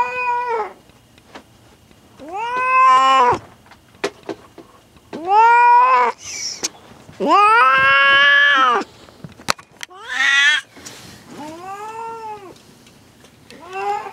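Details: Female domestic cat in labour with her first litter, indoors in a room she refused to leave. She gives long drawn-out yowling meows that rise then fall, about seven across fourteen seconds, with people speaking quietly between cries.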